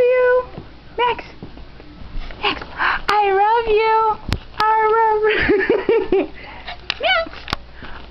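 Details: Pet dog being taught to say "I love you", making drawn-out, wavering, howl-like vocal tones in short bursts, some rising then falling, with brief pauses between phrases in a small indoor room.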